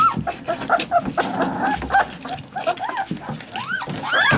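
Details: Alaskan Malamute puppies whimpering, with arched, rising-then-falling whines and short yelps overlapping from several pups, growing louder and higher toward the end, with soft rustling and scuffling underneath.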